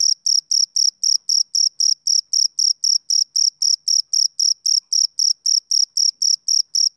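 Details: Rhythmic chirping of a male cricket, each chirp a short shrill trilled burst, about four each second, evenly spaced with silent gaps and no background noise.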